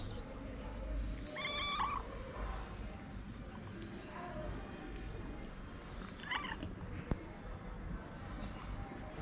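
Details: Homeless street cat seeking love and food makes two brief, fairly quiet meows several seconds apart over steady low rumble, with a faint click between them.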